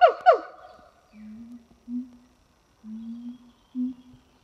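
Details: Siamang gibbons, a pair at a French zoo on a hot summer morning, singing: two sharp harmonic descending whoops, then a series of low hooting booms about once a second.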